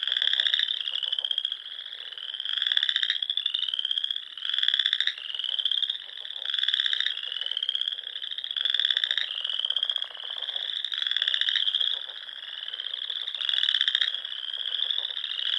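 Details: Spring frog chorus at dusk in the Sandhills of Nebraska, near small lakes and ponds. Many overlapping high trills hold steady, while louder buzzy bursts rise out of the chorus about every two seconds.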